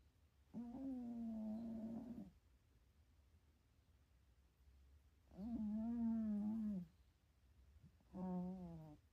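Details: Napping pet cat, dreaming and snoring indoors at home: three steady, buzzy-toned snores, each under two seconds, recurring about every three to four seconds, the last one shorter, with quiet room tone between.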